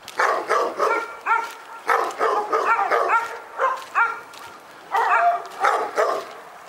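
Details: Persistent dog barks recorded in Pyrga, a steady run of loud harmonic barks with one short pause near the middle before barking resumes.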